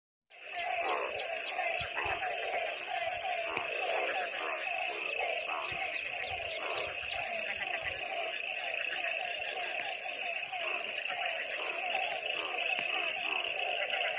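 A dense chorus of frogs, many voices overlapping in a steady croaking and rattling din during rain.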